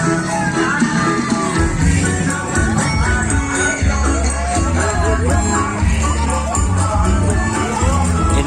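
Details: Loud, dense festive music with singing, percussion and a crowd at a Karapan Sapi bull race event, with no animal voice audible.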